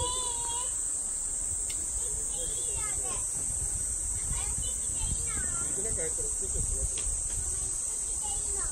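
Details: Platypleura kaempferi singing in Saitama Prefecture, Japan, August 2019: a continuous piercing high-pitched drone without pauses. Short chirping bird notes and twitters come through repeatedly underneath.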